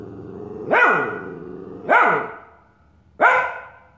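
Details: Young Australian Shepherd Nick confronting his reflection in a mirror, giving three high-pitched barks spaced over a second apart, with low growling between them.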